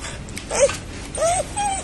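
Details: Stray dog greeting a familiar person with happy crying while seeking attention: a brief squeak, then a curving high whine and a flatter, softer whimper, with faint rustling behind.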